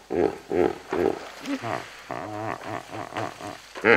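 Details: Close-up of a group of about 20 hippopotamuses splashing in water: three deep, pulsing honks at the start, then a run of lower, rich groaning bellows and snorting bursts, ending in one loud, sharp blast.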